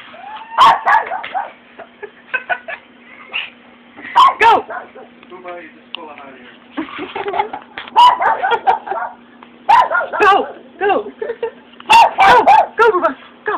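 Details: Japanese Chin reacting after hearing fireworks, indoors at home: sharp, loud barks and yips in bursts near 1, 4, 8, 10 and 12 seconds, with a person talking over and between them throughout.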